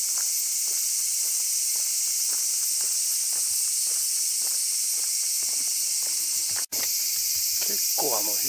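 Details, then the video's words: Evening cicadas (higurashi) fill the air with a dense, steady, high shrill chorus on an afternoon at Hōraisan Fukōji temple, Kasai, Hyōgo, Japan, among large trees; a man speaks briefly near the end, with a few faint clicks. "結構、ヒグラシも鳴いてますね。"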